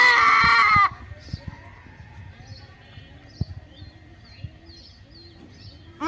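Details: Goat giving a single loud, wavering bleat lasting under a second, rich in harmonics. Quiet outdoor background follows, with faint bird chirps.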